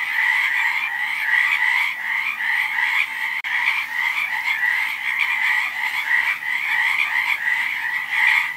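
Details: Frogs in a loud, dense chorus of overlapping croaks, a rhythmic buzzy trill over a lower trill, broken by a sharp instant of silence partway through.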